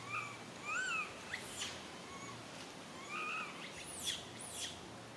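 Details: Young monkey named Lily cries sadly, calling for its mama: plaintive rising-then-falling tonal wails with harmonics, a few seconds apart, among brief scraping noises and a faint low hum.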